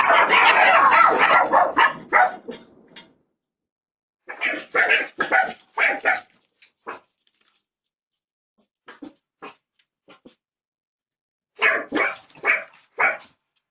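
A Jack Russell Terrier puppy gives bursts of high, sharp yips and barks separated by short silences.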